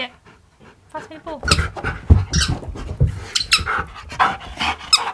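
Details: Siberian Husky talking back and refusing to sit, arguing with its owner: a run of short, rough, broadband vocal bursts with faint harmonic whines at the start, uneven and rapid, with breathy panting between them.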